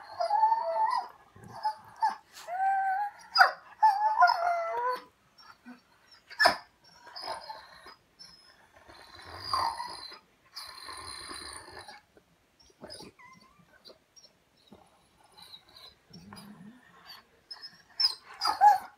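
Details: German Shorthaired Pointer, a pet dog, talking back: wavering, howl-like whines and grumbling vocal bursts rising and falling, clustered in the first five seconds, then more drawn-out moans around nine to twelve seconds, with quiet gaps and a final short yelp.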